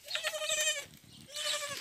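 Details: Young goat kids rejected by their mothers, being bottle-fed; two clear, wavering nasal bleats, each about half a second to a second long, with a short pause between them.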